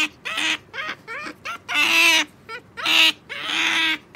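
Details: A short run of eager otter squeals: Sakura, a pet, fails to wait for her jerky treat. Short chirps lead into two longer, raspy, harmonic cries.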